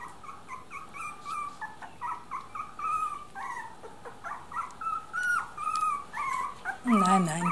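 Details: Three-week-old miniature dachshund puppies whimper with repeated short, high, wavering whines, several overlapping, while a woman speaks softly in German nearby.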